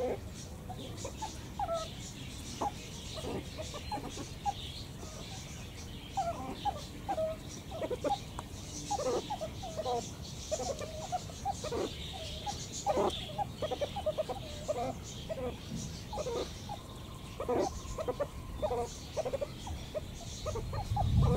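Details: Meerkats on an Eifel outing keep up a busy chatter of short, clipped calls, coming in loose bursts for about twenty seconds against constant low-pitched background noise.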